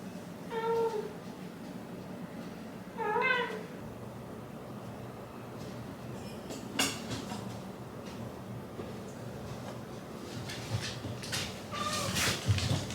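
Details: Two short, wavering whine-grumbles, a couple of seconds apart, come from Hachi the Shiba Inu, who is protesting being kept waiting before bed; later come handling noises and a faint third murmur.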